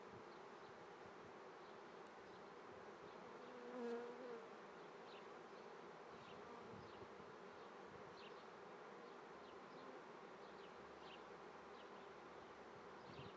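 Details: Longer stretch of honey bee droning at a Treviso apiary, Italy, on a May 2010 morning in swarming season: unbroken buzzing, a brief tonal whistle about four seconds in, and faint bird chirps overhead.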